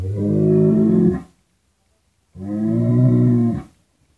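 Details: Cattle lowing: two deep, drawn-out moos of about a second each, separated by a short silence, with rich steady harmonics.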